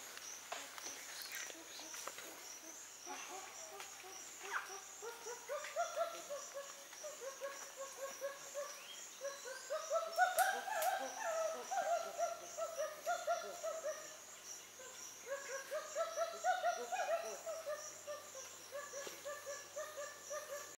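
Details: A chimpanzee (Pan troglodytes) at Gombe, Tanzania, eating a colobus and leaves, voices repeated hooting bursts that rise and build over a steady high insect drone.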